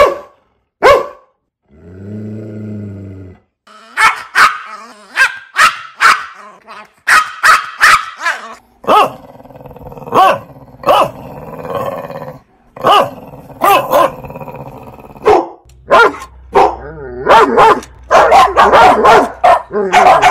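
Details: Dog barking in a multi-breed compilation, with a low growl early on, then a mix of sharp barks and yips, some overlapping, over a rumbling background.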